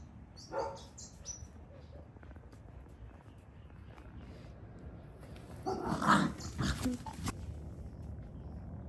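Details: Pet dogs at play in a garden: a brief yelp opens, then after a quiet stretch comes a noisy cluster of growling, barking sounds; a few high chirps, likely birds, sound early on.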